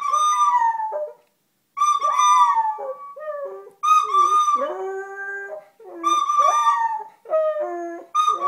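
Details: A dog howling in reaction to a flute: wavering, sliding howls dip low between bursts of steady, high flute notes, with short silent gaps.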